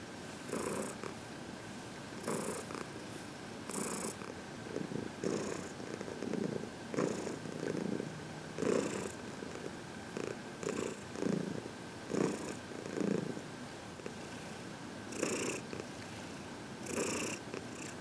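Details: Senior domestic cat, a 14-year-old female adopted from a shelter, purring during a head massage indoors; steady low rumbling purr with soft bursts of hiss-like breaths recurring roughly every one to two seconds.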